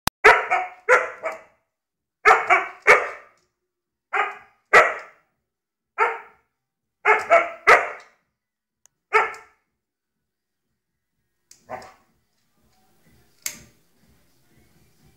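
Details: A pet dog barking in bursts of two or three sharp barks with brief pauses, many barks in the first nine seconds, then quieter clicks and taps with mostly silence.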